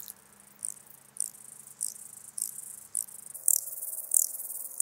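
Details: Ladder grasshopper from Muhrtal, Austria, recorded 9 October 2020 with an ultrasound detector: a series of short high rasping pulses roughly every half second, growing louder toward the end, over a faint low hum.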